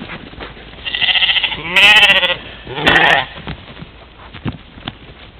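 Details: European mouflons, a herd playing at a morning waterhole in Czempiń forestry, Wielkopolska, Poland, 13 July 2018, trail camera; overlapping bleats from several animals, one rising then falling, followed by a shorter harsh bleat and soft clicks.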